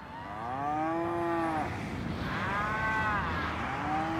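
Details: Cows moo in turn, arching harmonic calls roughly every one to two seconds, a low one first, then higher overlapping calls, over a steady noisy background.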